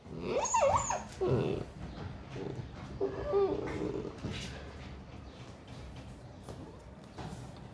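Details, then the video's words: Siberian Husky mother disciplining her pups; a few high, wavering whines and yelps in the first four seconds, fading into quieter rustling and soft background noise. "Husky mom teaches pups disciplines"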